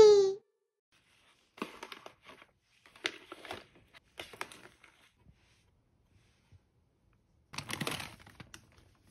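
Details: A golden hamster munching snacks (dried mulberry leaves, dried acacia flowers, rosebuds, dried mealworms), with soft crunching and crinkling bursts between quiet pauses.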